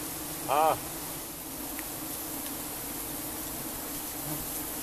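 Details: Continuous low hum of giant honey bees during a honey harvest in Cambodia, with a short human voice breaking in near the start over the steady buzz.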